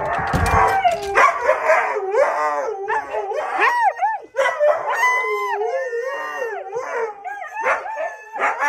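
Several Siberian huskies howl and yodel together in wavering, overlapping tones to greet their returning owner.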